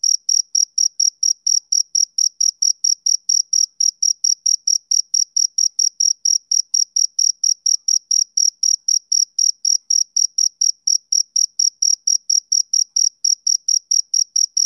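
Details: A male cricket chirps rhythmically in the summer evening, giving a long unbroken run of about sixty sharp, high chirps at roughly four per second against a perfectly quiet background.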